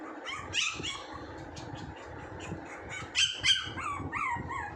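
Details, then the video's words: Puppy giving sharp, high-pitched yips, loudest bursts around the middle and toward the end, followed by short falling whimpers and whines over a steady background hiss. "puppy sound 😂 funny puppy sounds"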